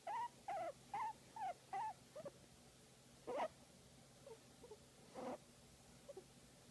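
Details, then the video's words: Guinea pig being massaged, making a row of short wavering whistled squeals, then scattered fainter squeaks with pauses between. "Guinea Pig Enjoying a Massage and Making Cute Sound"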